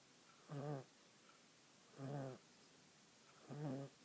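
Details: Three evenly spaced, gravelly snores come from a little female monkey dozing on a person while she dreams. Each rough, low breath lasts about a third of a second, and quiet gaps of over a second separate them.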